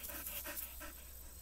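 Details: Labrador Retriever named Joao panting: rapid breathy rasping bursts, about four or five per second, each a soft broad hiss, over a steady low background hum.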